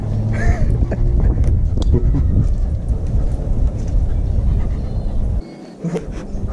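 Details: Low rumbling vehicle noise with faint speech and scattered knocks fills the recording, with no clear animal voice.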